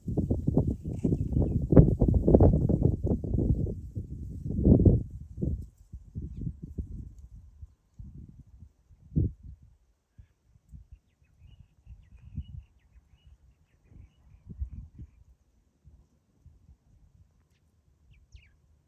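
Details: Several wild boar piglets at a farm snuffle and grunt low and irregularly while feeding on roots and leftover ground nuts, with crunching and rooting noises.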